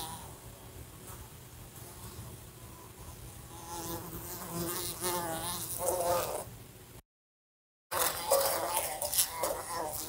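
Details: Fly buzzing indoors in a room beside a lamp, bumping into it: a steady droning hum with wavering tonal bands that swells louder after four seconds, cuts out briefly near seven seconds, then returns loud and rough.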